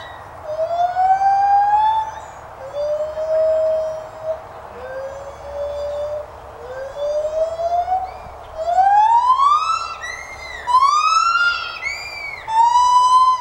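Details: White-handed gibbons at the Santa Fe College teaching zoo in Gainesville, Florida, singing a series of loud rising hoots, each upsweep steeper and higher than the last, building into quick climbing wails near the end.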